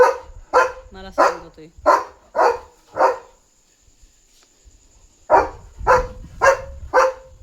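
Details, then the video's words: An excited German Shepherd jumps around on night security duty, barking nonstop at a dog outside. Fast barks about twice a second, a brief whine-like sound among them, a three-second pause, then four more strong barks. "Barking German Shepherd on Alert!"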